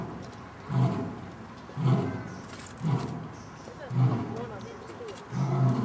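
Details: Lion parents roaring together in a zoo in Dortmund, Germany, recorded in autumn 2009 while three young lions play; deep, low grunting roars repeat about every second in a steady series against a soft background hum.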